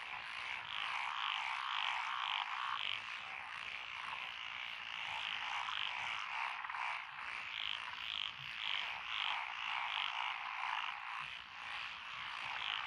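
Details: Frog chorus from lotus rice paddies along a country road in Echizen, Fukui, Japan, 12 June 2021; Japanese tree frogs, pond frogs, wrinkled frogs, Schlegel's and forest green tree frogs. Dense overlapping croaks and trills pulse about twice a second, unbroken.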